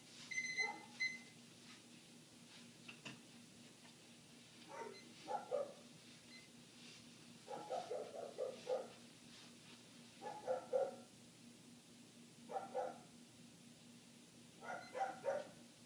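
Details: Muffled barking of a neighbor's dog heard inside the house with windows closed, barks coming in clusters every two to three seconds, a brief electronic beep at the start and low steady hum throughout.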